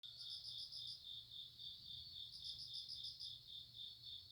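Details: Grass insects chirping for rest and healing: a steady high shrill tone with bursts of rapid, bright pulsed trills, one near the start and another after about two seconds, over a faint low hum.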